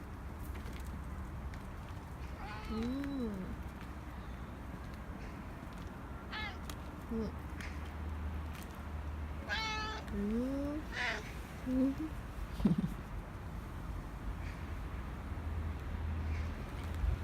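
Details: Korean shorthair cat Nacho begging indoors for more treats when its keeper returns from work. Several short, arched meows come at irregular intervals and pause between calls. Faint human voices and low room hum sit underneath.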